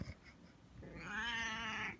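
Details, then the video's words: Siamese cat meowing while being offered a cookie; one long, drawn-out, harmonic-rich meow rising slightly then holding steady for about a second, with a person's voice talking about a cookie around it. "Elvis The Siamese Wants A Cookie"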